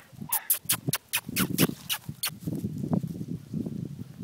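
Young Pembroke Welsh Corgis make a burst of brief, clipped yips, several in the first two seconds. Softer, low whimpering and muttering sounds follow and run on beneath them.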